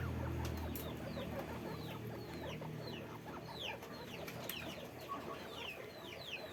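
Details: Caged guinea pigs on a guinea pig farm squeak rapidly: quick, high, falling whistles that tumble over one another against a dense, low rumbling and rustling backdrop.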